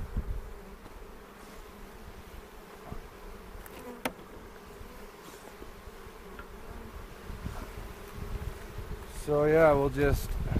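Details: Honey bees humming during the second hive inspection of the 2018 season on April 27, in a bee yard in the foothills near Cochrane, while beekeepers check for queen cells and make a split; steady low drone, a sharp click, then voices at the end.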